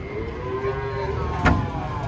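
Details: Long-horned cattle during unloading from a truck give a sustained, steady moo lasting over a second and then fading, against a busy background of voices and a sharp knock.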